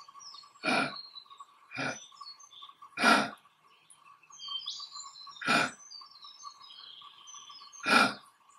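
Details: Eastern grey kangaroo male in Australia showing dominance, standing tall and pawing the grass; five gruff, huffing grunts spaced roughly two seconds apart, with chirping birds and a constant droning hum behind.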